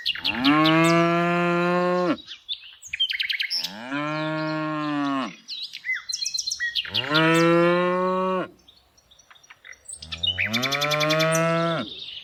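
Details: Tame cows during afternoon herding give four loud, long moos, each lasting about two seconds and spaced by short pauses, while small birds chirp in the gaps.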